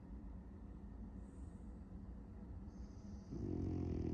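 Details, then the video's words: A French Bulldog, apparently dreaming of chasing cats, snores while asleep with low, rumbling, rasping breaths. "Brooklyn the French Bulldog dreaming of chasing cats 🐈‍⬛ and snoring 💤"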